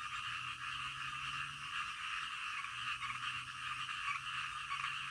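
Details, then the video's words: Midnight frog chorus, numerous frogs giving fast pulsed croaks that merge into a continuous buzzing band, with a faint low steady hum in the background. "SUARA KODOK DITENGAH MALAM"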